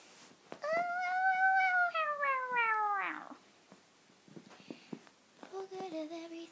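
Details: Female domestic cat, playfully attacking feet under the bed covers indoors, gives one long drawn-out meow that swells and then slides downward over about two and a half seconds. Quiet rustling follows, then a voice.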